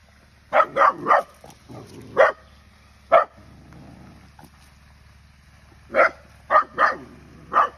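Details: A Vizsla puppy seeking new friends barks in eager bursts: a quick run of three high yaps, single barks after pauses, then a final cluster of four, with a soft rustle between.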